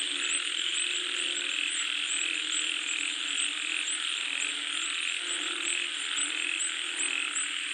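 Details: Frogs calling while rain falls: a dense, unbroken chorus of overlapping croaks under a steady hiss, with a high, fine pulsed trill running throughout.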